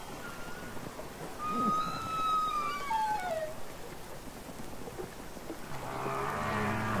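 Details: Real humpback whales singing underwater from Capitol Records ST-620: a brief high whistle, a long level whistled note sliding downward at the end, then a low moaning groan.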